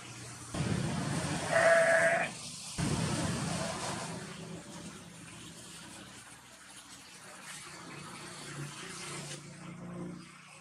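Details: A four-horned Jacob sheep in Pakistan gives a loud, harsh, wavering bleat, followed by quieter farmyard background.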